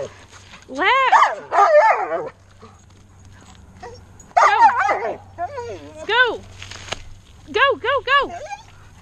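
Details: Belgian Malinois husky mix puppy attacking pool noodles, giving short bursts of harmonic, whining yowls that arch up and down in pitch. The calls come in clusters separated by quieter gaps, over a low steady hum.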